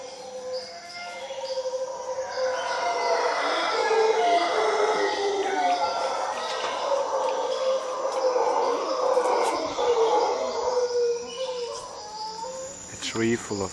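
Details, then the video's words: Howler monkeys roaring from a tree in Costa Rica: continuous deep, hoarse group roaring that rises and falls for most of the recording, layered over a shrill insect buzz, with clicks and knocks near the end. "Howler Monkeys in Costa Rica"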